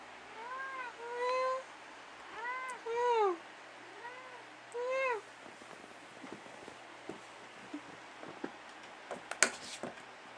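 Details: At night indoors, Dusty the cat answers his owner with four clear, rising-and-falling meows in the first five seconds, then goes quiet apart from faint clicks and soft handling noises.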